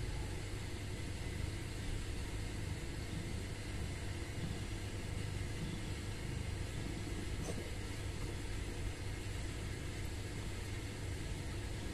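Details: Continuous low engine-like rumble and broadband noise, with a single brief click near the middle.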